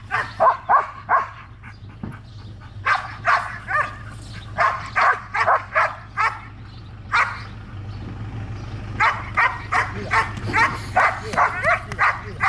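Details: Belgian Malinois Trueno during protection training in Zumpango, State of Mexico, barks steadily, more than two sharp barks per second in irregular runs, over a low background rumble.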